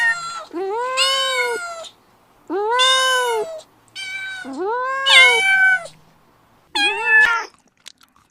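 A kitten gives four high, drawn-out meows, each rising then falling, spaced about two seconds apart.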